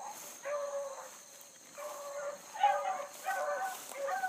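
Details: Pack of Bluetick Coonhounds, including a new pup, trailing a big rabbit early on a July 2012 morning. Distant, drawn-out baying bawls in layered harmonic tones, several voices overlapping across the stretch, with a steady high hiss behind them.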